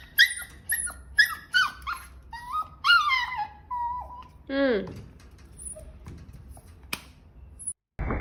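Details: Domestic cats and kittens meowing indoors: a quick run of short, high harmonic mews with falling tails, about two a second, then a longer, lower meow sliding downward, followed by quiet room noise and a final thump.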